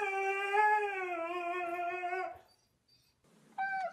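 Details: A 'talking' Siberian Husky holds a smooth, sustained howl that dips gently in pitch for over two seconds, falls silent, then gives a short, clipped howl-like note at the end.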